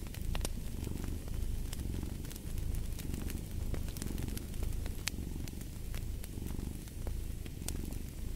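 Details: Cat's deep purr rising and falling in rhythmic waves roughly every second, overlaid by frequent snapping crackles from a burning fireplace.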